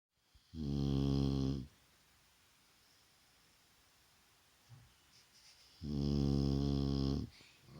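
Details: Shar Pei named Vaya snoring during a daytime rest indoors: two long harmonic-rich snores about five seconds apart, low and rasping with a faint high hiss, quiet breathing between.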